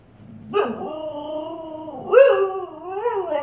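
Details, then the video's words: Bella, a female Siberian Husky, barks at her own reflection in a fireplace indoors. Two drawn-out, yodelling woo-woo calls with rising and falling pitch, the second louder and wavering, in a quiet room. "Husky barking at herself in the fireplace.."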